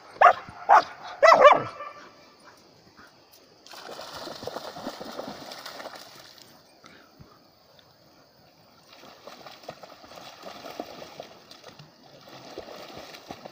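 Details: German Shepherd dog giving three sharp, loud barks in quick succession within the first two seconds, followed by a long stretch of soft rustling, scuffling noise with no further barking.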